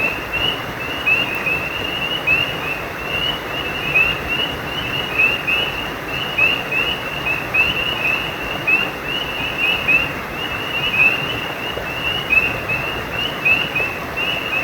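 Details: Frogs near a running stream give a long, unbroken series of sharp, high chirps, some notes brighter than others, spaced irregularly at a quick pace against steady water noise.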